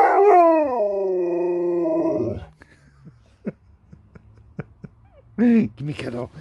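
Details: Alaskan Malamute named Sherpa 'talking': a long, loud, wavering howl-like vocal that slides down in pitch over about two seconds, then quiet clicks and a short burst of speech near the end.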